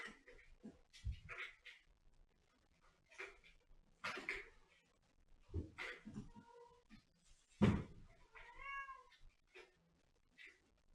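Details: Domestic cat meowing indoors: short rising-falling meows with clear harmonics around the middle and a longer drawn-out meow near the end, mixed with knocks, thumps and rustling between calls.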